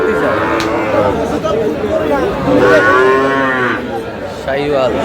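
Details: Trading of Sahiwal bull calves at the opening of Aftabganj haat, Dinajpur, on 13 June. One harmonic-rich moo swells and fades midway, with shorter lowing around it, all under busy market voices and bargaining.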